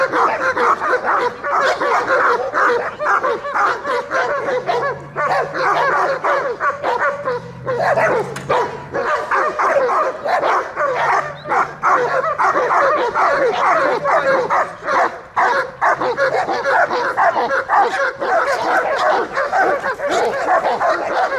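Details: German Shepherd during guard and protection training for service dogs in Dukovsky Park, Odesa, on 9 July 2022, attacking on command; continuous rough, noisy growling and barking with scuffling, dense and unbroken throughout.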